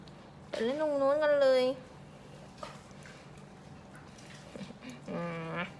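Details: Pembroke Welsh Corgi puppies, a litter at a kennel farm in Om Noi, Samut Sakhon, Thailand: one drawn-out wavering whine lasting about a second, then a shorter steady whine a few seconds later, over a quiet indoor background.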